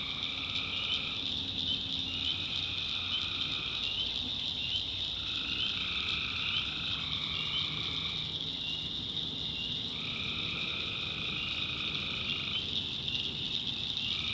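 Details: Many tree frogs calling after dark in a North Carolina backwoods swamp; overlapping trills of one to two seconds come in irregular succession, with a steady, piercing high chorus and low rumble throughout.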